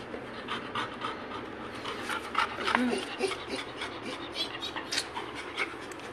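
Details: Labrador Retriever named Goku, a pet dog in a playful, mischievous mood after a day left alone, panting softly in rapid breathy bursts indoors while a person keeps talking to him, with a brief whiny note midway.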